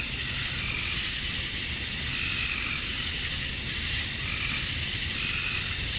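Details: Evening summer chorus of male cicadas in Georgia, USA, calling to females: a steady, intense high buzzing hiss, with occasional softer lower tones drifting in and out.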